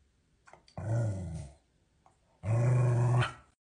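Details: Cardigan Welsh Corgi gives two low, rumbling growls, each about a second long, separated by a short pause, with a quiet indoor background.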